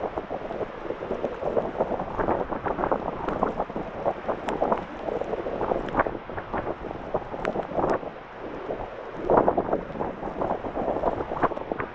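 Steady wind buffeting the microphone with bursts of broadband rumble; no animal voice stands out.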